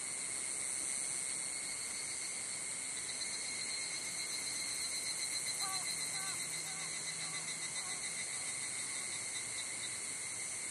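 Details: Evening cicadas (higurashi) on a cloudy evening, 18:00–18:30 on 31 July 2011, on a hiking trail at Hokyousan, Tsukuba, Japan, fill the air with a steady, ringing, high-pitched chorus blending into one shimmering tone.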